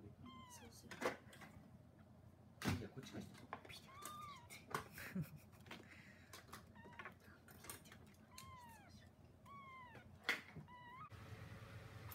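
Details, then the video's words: Three abandoned newborn kittens, 20 to 24 days old, found discarded in a plastic bag and cared for indoors; repeated thin, high, arching mews come every second or so, with sharp clattering knocks and soft household noise behind. "Abandoned Newborn Kittens"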